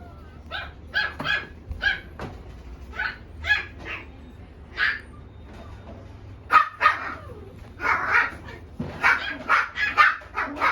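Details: Female black Shiba Inu of mame-shiba (small) size barking in a run of short, sharp yaps, some singly and some in quick pairs, growing denser and louder toward the end over a low steady hum.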